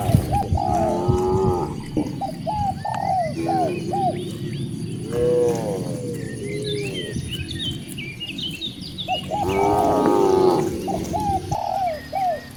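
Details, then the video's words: Cows among dozens roaming freely outdoors in nature. Two rich, wavering moos sound mid-clip and near the end, mixed with many short arched calls and high chirps from other animals across the herd. "the cute sound of cows mooing"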